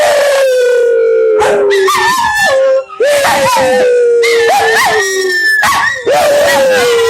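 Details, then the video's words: Singing dogs howling together, a sustained falling howl layered with a second higher voice and frequent yipping breaks. "dogs singing"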